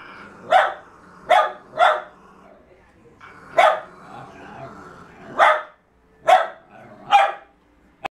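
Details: Jack Russell Terriers struggling over a fallow deer's leg; widely spaced single and paired sharp barks with quiet stretches between, ending in a brief click.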